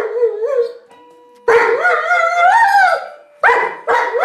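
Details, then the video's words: Giant schnauzer howls with a rising and falling, wavering tone, interrupted by a short steady held note, then two shorter howl bursts at the end. "Musikalischer Riesenschnauzer"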